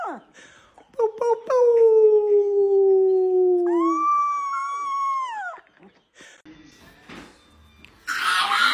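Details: Dog indoors, from a compilation of funny dog moments, giving two long drawn-out howling tones: the first slowly sinking in pitch over several seconds, the second higher and wavering before dropping away, followed by scattered knocks and a sudden loud noise burst.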